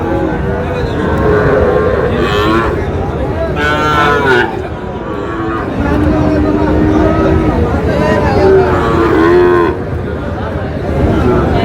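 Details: Sahiwal bull calves at a cattle market, bought by a farmer from Chittagong, Bangladesh: drawn-out harmonic lowing moos rise over a busy crowd of bargaining voices, with steady market chatter and some vehicle noise throughout.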